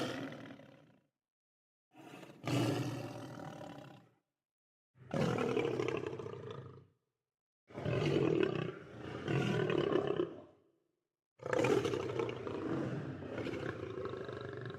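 A lion gives a series of deep, powerful roars, each lasting a couple of seconds with short pauses.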